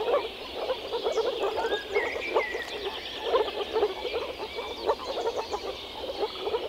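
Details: Male moor frogs croaking through their vocal sacs while gathered to mate in a small forest pond or lake in early spring: a dense chorus of soft, low, bubbling pulses in quick overlapping bursts, with faint bird chirps above.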